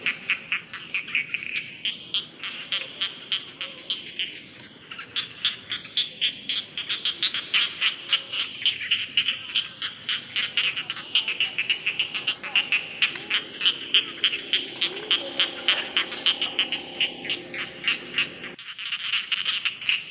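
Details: Rice field frogs croaking in a steady rhythm of sharp, raspy pulses about three or four per second, building from quieter to louder over twenty seconds against a high trilling background.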